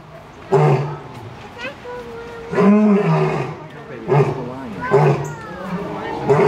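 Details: A lion at Zoo Atlanta gives a series of deep, rumbling roars, each a loud low burst about every second or two.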